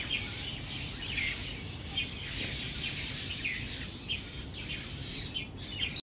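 Indian squirrel giving sharp, high chips, roughly one or two each second, over a steady low rumble of background noise.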